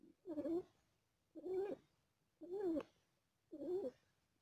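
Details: Female cat delivering four kittens and in pain: four even, rough, slightly wavering voiced pulses, about one per second, with a low background hiss.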